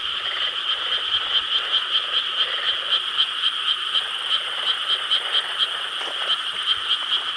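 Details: Rice-paddy frogs in Korea croak together on a July night in 2013, the chorus dense and ringing, with distinct rhythmic pulses, roughly three each second, standing out over the constant background of other callers.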